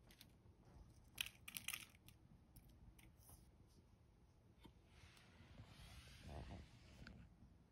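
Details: Small crunches, crackles and tearing sounds come in quick irregular bursts as a golden hamster eats snacks of dried mulberry leaves, dried acacia flowers, rosebuds and dried mealworms. The chewing is close and quiet, with a faint room hum behind it.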